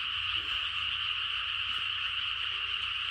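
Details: A dense late-night chorus of frogs in the countryside, countless croaking voices merging into one steady, shimmering trill.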